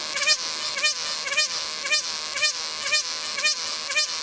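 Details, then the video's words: Loud cicada buzz, constant and hissing high up. Swelling wavering notes pulse through it roughly twice a second, steady and regular throughout. "CICADA SOUNDS | Cicadas"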